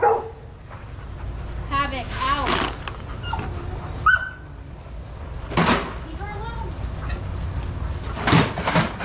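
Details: Adoptable shelter dogs playing and running together at a daycare: sharp broadband barks a few seconds apart, mixed with higher whines and yelps that bend up and down, over a steady low rumble.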